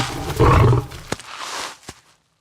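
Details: Lions in a tree, where the lioness Carly seizes her moment to join her sisters; a single harsh, low snarling growl lasting under a second, followed by rustling and a couple of sharp clicks, fading to silence.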